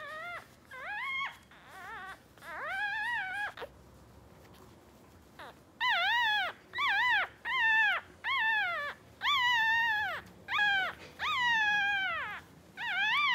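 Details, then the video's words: A pair of two-day-old West Highland White Terrier puppies, male and female, cry insistently: loud, high, wavering squeals about half a second each, repeated roughly once a second in a steady string after a short pause. "West Highland Terrier puppy | Two Days Old Puppies"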